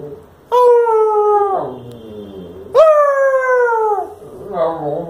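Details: Pet Lhasa Apso in the evening, howling back while its owner tries to get it to talk; two sustained, gently sliding howls of about a second each, then a short quieter wavering note.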